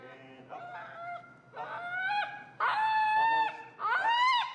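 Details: An extremely vocal feral husky named Finnegan objects to a behavior while learning heel and pressure in Chicago training. He makes four drawn-out, tonal, moaning howls that climb and bend in pitch, each louder and more insistent.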